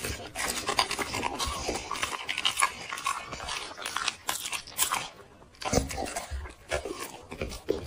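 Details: A black dog munching chicken with vegetables, heard close: dense crackly crunching and biting, short pauses, then bursts of rapid chewing resume.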